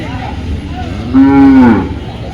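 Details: Cattle at the Dhaniakhali cattle market, held every Friday: one short, loud moo at mid-clip, steady then falling away at the end, over a low, continuous market murmur.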